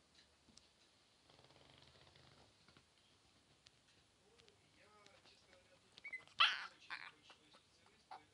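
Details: A "talking" Pomeranian gives a few rising, arched whines, then one sharp, loud bark and softer yips.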